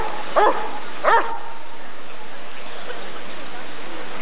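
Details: Two deep barks from a Rottweiler at the ADRK breed survey, 1994, given about two-thirds of a second apart, followed by several seconds of low background noise from the event.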